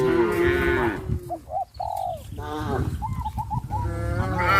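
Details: Cows in a herd walking toward pasture under the hot sun give a loud, deep moo at the start and another at the end, with short whistled chirps and lower lowing calls in between.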